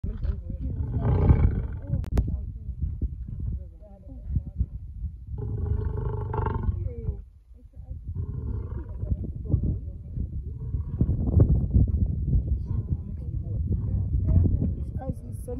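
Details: Wild male lion in Namibia roaring, recorded on a game drive: deep, rumbling low bursts rise and fall over several seconds with short pauses between, plus voices talking in the background.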